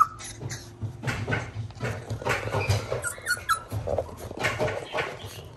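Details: Border Collie puppy from a breeder, giving short whimpers and yips among steady rustling and shuffling noises.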